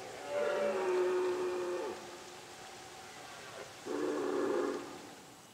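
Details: In the Pyrenees during the late-September breeding season, a red deer stag roars twice among summer cattle and horse pastures: a long, hoarse, harmonic bellow of about one and a half seconds, then a shorter, rougher burst.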